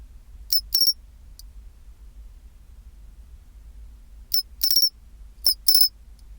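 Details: At 24°C a pine cricket gives its chinchirorin song. A two-part high metallic phrase opens, a gap of over three seconds follows, then two more ringing phrases arrive close together. Steady soft low hum underneath.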